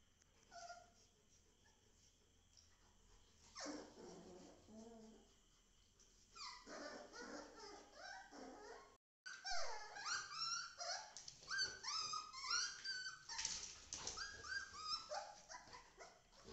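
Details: Golden retriever playing with a puppy: high, sliding whines and squeals in bursts, busiest in the second half, with a woman speaking Tamil to the dogs at times.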